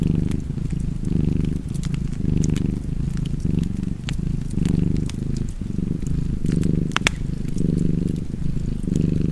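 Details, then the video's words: Domestic cat purring steadily and low, swelling and easing in roughly eight breath cycles, with sharp fireplace crackles and pops scattered throughout. "Purring Cat and Fireplace 4K / Wallpaper Tv Art Çerçeve / Cozy Purring Cat ASMR / Kedi Mırlaması"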